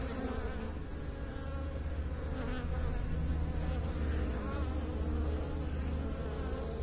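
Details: Low, rumbling bee hum with a faint pulsing texture, swelling a little louder toward the middle and staying constant throughout.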